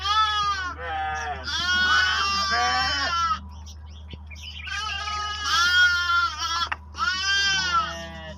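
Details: Sheep and lambs meeting, lambs drinking milk, with bells: repeated wavering, harmonic-rich bleats in long bursts, two main bouts separated by a quieter gap, over a steady low hum.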